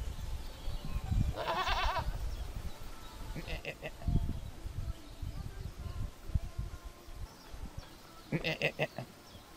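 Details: Cameroonian goat, a dwarf domestic goat, giving three bleats: a long wavering, laugh-like bleat near the start, a short one a few seconds later, and a final burst near the end, over low rumbling background noise.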